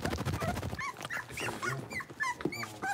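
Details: Blenheim Cavalier King Charles Spaniel puppies, a litter of five born at New Year's, in their new big pen: rapid, overlapping squeaky whines and clipped yips, high and bending, over low rumbling at the start.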